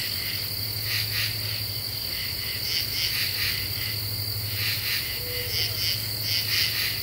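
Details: . Late-July night in eastern U.S. deciduous forest, common true katydids singing once cicadas quiet down. Short harsh pulse clusters stutter against a constant high-pitched insect buzz and a low hum.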